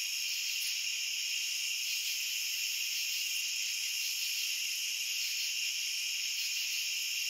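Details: Massed cricket song forms a constant high, hissing shimmer, layered trills running evenly throughout with only tiny clicks breaking the texture.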